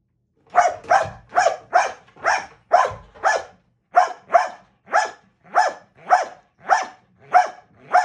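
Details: Dog barking during box work training: a steady run of about sixteen loud, sharp barks, roughly two each second, with short silences between them and no other sounds.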